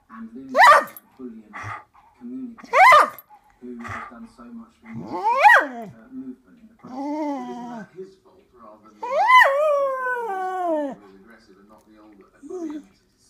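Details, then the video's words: A female Cocker Spaniel, acting like a wolf, gives a run of sharp yips that slide into long, wavering howls. "Cocker Spaniel thinks she is a Wolf!"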